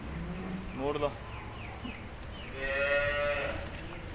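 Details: Jersey cow at a dairy farm in Kalala, Barnala district, gives a moo, a short rising bellow followed by a longer, steadier, higher-pitched low, with background farm noise and faint voices.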